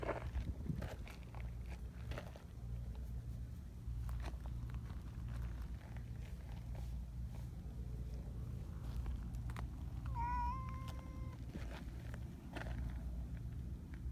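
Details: Community cats gathering while walking a mountain path: one clear harmonic meow, rising slightly and held about a second, heard once amid steady crunching footsteps and a low rumbling background.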